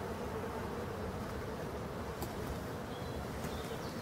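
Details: Honey bees at a hive in Brittany, France, during the last winter feeding on 4 February 2021: a steady, dense low buzzing hum runs throughout, with a faint steady tone inside it and a brief click near the middle.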